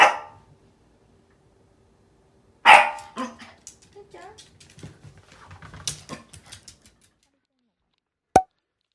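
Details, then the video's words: Lulu, a female Yorkshire Terrier puppy just under 11 months old, indoors, alarmed and very angry at something beyond the door: a sharp bark opens, another loud bark near three seconds, then low rumbling growls and grumbles, a final short yip. "Angry Yorkie"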